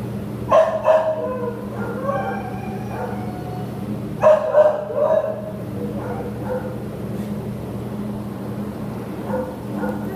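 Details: American Pit Bull Terrier up for adoption, 15 September 2015: short bursts of sharp, rough barks, two main volleys about four seconds apart, then softer scattered yips, with a constant low hum underneath.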